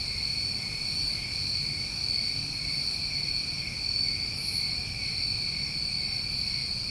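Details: Nighttime chorus of New England crickets in summer: layered high-pitched trilling holds at an even level throughout, one brief brighter chirp standing out, low rumble beneath.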